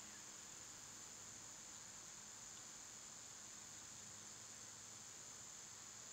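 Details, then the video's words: Cicadas in summer, part of a loud seasonal insect chorus: a steady, unbroken high-pitched whine holds at one level throughout, with soft low hum beneath and nothing else distinct. "Cicada sounds"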